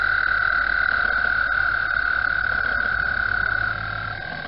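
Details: A dense, unbroken high-pitched trilling drone from a spring chorus of frogs calling for mating at Mt Gretna, easing slightly in loudness near the end.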